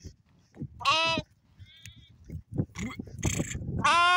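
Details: Sheep making short, wavering bleats, one near the start and another at the end, with fainter calls and low knocking and rustling between them.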